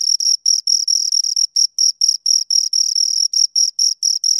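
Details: Two crickets chirping in a steady stream of high, pure pulses, short trilled bursts repeated about twice a second with brief gaps, a fainter upper overtone above; no other sounds.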